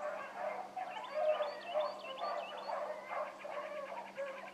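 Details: Several hound pups in full cry on a morning rabbit chase, pups including Ringo, Mingo and Choco. Overlapping bays and yelps run continuously, while a bird warbles high above the pack.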